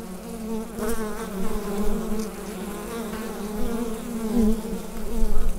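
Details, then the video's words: Bees humming inside a hive, captured with a USB studio microphone: a dense, steady drone with a low wavering tone and a brighter overtone above it, swelling louder toward the end, with faint crackles scattered through. "Bee Hive Sound Effect"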